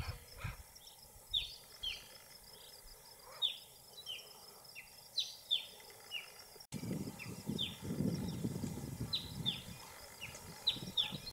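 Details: Dwarf mongooses at Buffalo Springs, Kenya, give a string of high, thin, downward-slurred chirps, several each second.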